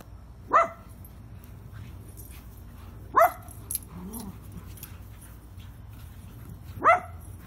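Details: Dogs Penny and Lucy playing rough with each other in a garden; three sharp, clipped barks spaced roughly three seconds apart, with a soft low grumble between them over a quiet background.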